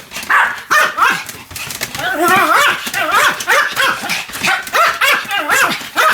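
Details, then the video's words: Pomeranian yapping during a fast spinning spell of roughly 175 turns, filmed 1 November 2015: sharp high-pitched barks and wavering whines repeated in rapid bursts, with people's excited voices mixed in. "ポメラニアン サムちゃんの高速回転 約175回 犬の鳴き声"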